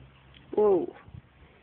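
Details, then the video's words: Six-week-old Yorkshire Terrier puppy at play, May 2011: a single short, falling whine-like yelp lasting about a fifth of a second, clear and tonal, followed by faint indoor shuffling. "Six week old Yorkie puppy playing"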